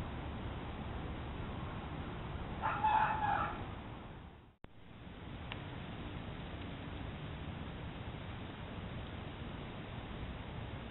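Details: Red fox barking behind a home in Haywood Knolls, Hendersonville, North Carolina, caught by a trail camera: a single harsh harmonic bark, rising briefly, stands above a steady hiss of background noise, then quiet rustling follows.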